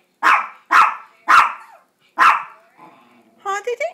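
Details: Two pet Chihuahuas, Gracie and JakeJake, bark to beg for a treat, four sharp yappy barks spaced about half a second apart, then a faint whine and a brief clatter of higher sounds at the end.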